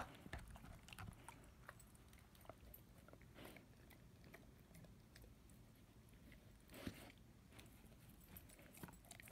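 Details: Ten-month-old German Shepherd/Labrador puppy chewing on his first bone, dense wet gnawing and crunching with a louder bite near the end, low rumbling background in a small room.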